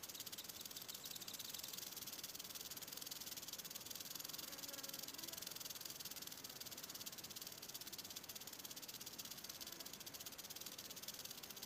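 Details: A western diamondback rattlesnake recorded up close gives an unbroken, even, high-pitched hissing buzz that holds at the same loudness for the whole stretch, with no other clear sounds.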